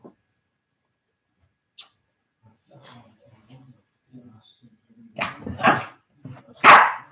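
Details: Senior Shih Tzu in rough play with a puppy indoors: a quiet stretch of soft murmured speech and faint grunts, then three sharp, loud barks packed into the final two seconds.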